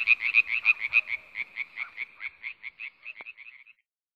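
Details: Iberian tree frog (Hyla molleri) calling: a rapid, regular series of about two dozen short, harsh, nasal pulses over nearly four seconds, loudest at the start and fading toward the end, with a quiet background.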